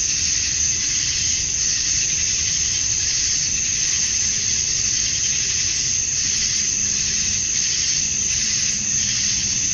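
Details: Male cicadas chorusing at summer dusk in Georgia, USA, calling to attract females: a dense, unbroken high-pitched buzzing hiss with faint swells roughly every second, many insects together, plus a soft low rumble underneath.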